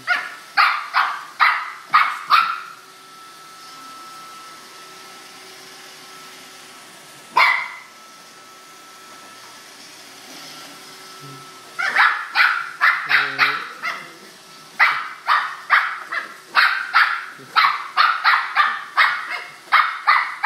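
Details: A corgi confronting a roomba barks in rapid, sharp bursts, pauses, then resumes with a longer volley of yapping barks.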